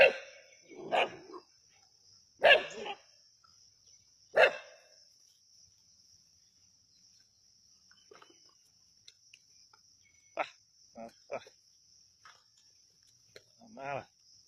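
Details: Native country dogs hunting a snake at Keeladi: three loud, harsh barks in the first five seconds, then scattered softer yelps and a short whine near the end, over a steady high-pitched hum.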